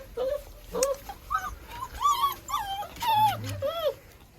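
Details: A litter of German shorthaired pointer pups born 15 January 2022 keeps up steady, high, arching whines and squeals, one after another, with a low murmur of a person underneath.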